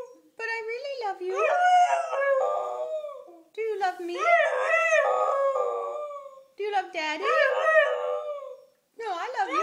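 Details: Young female Siberian Husky howling in a talking style, trying to say "I love you": three long wavering vocal phrases with rising and falling tones, separated by short pauses, indoors.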